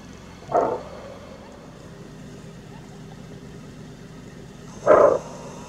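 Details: Greater kudu in Kruger National Park giving its characteristic bark alarm call: two short, loud, hoarse barks about four seconds apart, over a steady low engine-like hum.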